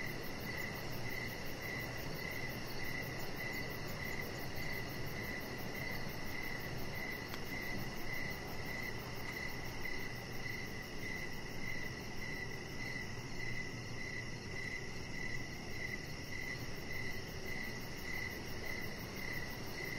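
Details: Crickets in the evening beside a deck where a chihuahua puppy lies under decoration lights; a steady, mid-high chirp repeats about every half second, with a faint pulsing buzz far above and a constant low rumble.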